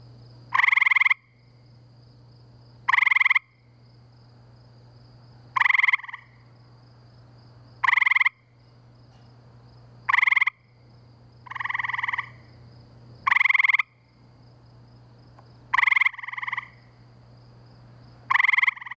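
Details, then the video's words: Several gray treefrogs trilling together in spring near woods and wetlands by a pool in Framingham, Massachusetts; loud half-second pulsed trills about every two and a half seconds, a quieter second frog answering in between, low hum behind. "Gray Treefrogs, Framingham, MA"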